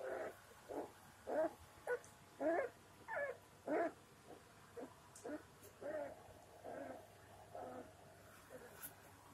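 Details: Labrador Retriever puppies, three weeks old, at play after a nap: a run of short, squeaky whimpering yelps repeated roughly every half second, loud at first, then softer and more drawn out toward the end.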